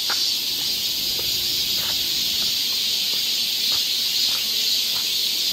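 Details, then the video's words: Constant bright, hissing buzz of cicadas filling a Korean summer forest trail in Seoul, steady and level from start to finish, with a few faint taps below. "cicada sound"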